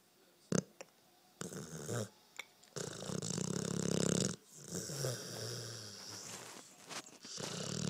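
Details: Carmen, a one-year-old Pit Bull, snores while dreaming. Rough, rasping breaths come in uneven bursts with short silent gaps between them. It was recorded on a phone indoors.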